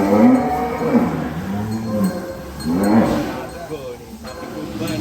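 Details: Cattle in a large Indonesian farm barn holding about 1000 cows, one mooing in long, deep, wavering lowing calls, two drawn-out moos about two seconds apart, with barn noise and a man's voice nearby.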